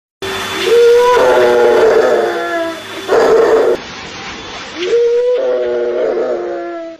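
A Rottweiler gives drawn-out, whining howls that rise and then hold steady in three bursts.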